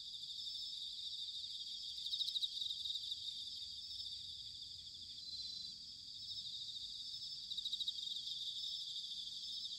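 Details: Autumn bell crickets recorded in Sanuki, Chiba, Japan, singing as a soft, continuous high-pitched chorus with brief louder ringing pulses near 2 and 8 seconds, over a low rumbling background hiss.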